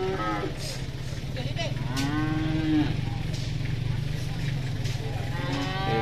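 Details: Bloated, sick cow at a market, said to be in pain and breathing hard; a drawn-out low moo with a brief level tone, over a steady low engine rumble and crowd noise.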